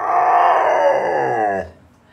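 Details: A trained dog, tested after four years without practice, sings along with its owner: a steady, harmonic-rich howl held level for about one and a half seconds, then fading away.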